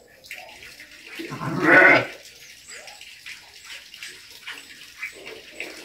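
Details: A ram bleats once, a loud, wavering, harmonic cry lasting under a second, followed by softer scattered bleats and a steady watery hiss in the background.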